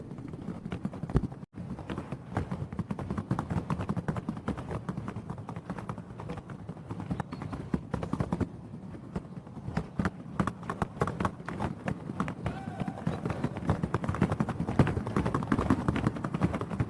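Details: Paso Fino horses, two ridden together across the sound board at Asheville Alive 2022, Piedmont Paso Fino Horse Association day; fast, even drumming of hooves on wood, a steady rapid patter throughout.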